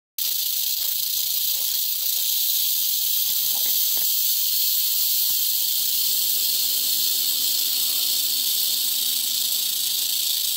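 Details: Angry eastern diamondback rattlesnake in dry bushes, giving a continuous, dry, high hissing buzz of its rattle that holds steady and unbroken from start to finish with no other clear sounds.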